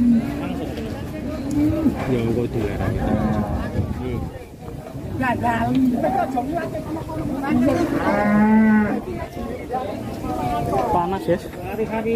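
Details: A rampaging cow that broke loose, described as angry at its owner, gives low drawn-out moos at intervals, loudest near the end, over people talking and background music.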